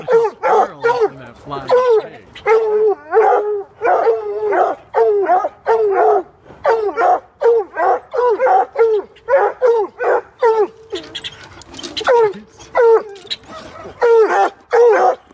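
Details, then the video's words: Several coonhounds bay and bark at a squirrel cornered in a pig sculpture, quick overlapping yelps and drawn-out bawls with a whine or two, steady frantic chorus throughout. "Coonhounds a got a squirrel trapped in pig sculpture."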